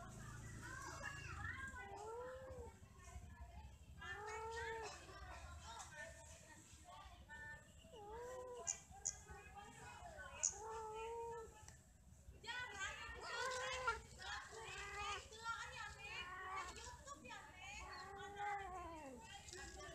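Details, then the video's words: Cats mating and quarrelling give drawn-out, wavering wails that rise and fall, one every two to three seconds. The wails turn denser and overlap in the second half, with a faint hum beneath. "Kucing lagi Kawin ,Cat merried , Cat playing, Cats mating, Cats quarrel"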